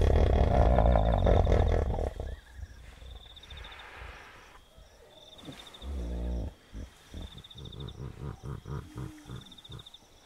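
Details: Wild hippopotamus calling at night beside a river in Kafue National Park, Zambia: a loud, deep bellow, then a fast run of rhythmic honking grunts, about four a second, fading, with insects trilling and chirping behind.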